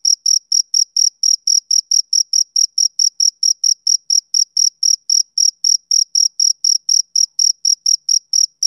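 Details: Male cricket chirping on a summer evening: a steady run of short, high, pulsed chirps at about four per second, evenly spaced and unbroken, with no other sounds.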